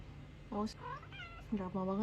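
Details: Kittens in a cute compilation: three short, soft meows, the first and last dipping then rising, with a faint higher squeak in between over a low background hum.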